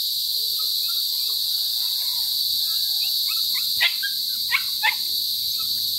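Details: Crickets (kuliglig) calling loudly close by, many of them, a steady high-pitched shrill drone running throughout, with a few short sharp clicks near the end and faint lower chirps and voices underneath.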